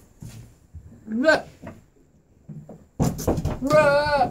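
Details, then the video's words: Stelli, a three-year-old Nigerian Dwarf goat known for expressive inflections when communicating with her owners, gives a short wavering bleat, then a longer quavering, vibrato-laden bleat after a pause, with people talking around her. "Stelli the talking goat"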